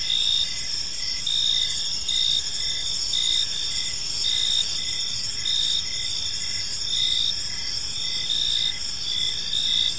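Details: Crickets chirping in a park on an evening, a dense layered chorus: high steady shrill trills with brief gaps, plus a lower pulsed chirp repeating roughly twice a second underneath, over a faint low background hum.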